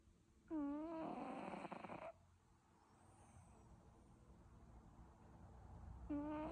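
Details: Cat snoring in its sleep. A strong, reedy, droning snore lasts about a second and a half, then quiet breathing, then the next snore begins as the sound ends.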